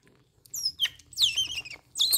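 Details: A baby otter, refusing milk and food for two days and constantly biting fingers, gives a run of shrill, chirping squeaks that rise and fall quickly; the owner wonders whether teething or growth is the cause.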